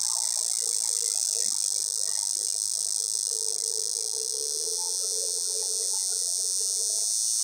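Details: Cicada calling to mate from a pear tree, its sound a continuous shrill, hissing drone sustained at constant loudness, over a quiet murmur of low background noise.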